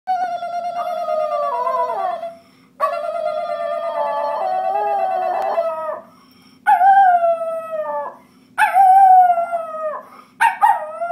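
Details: Schnauzer howling as if singing: long wavering tones around 600–700, sliding and bending, in several sustained phrases separated by short pauses, with later phrases starting higher and falling.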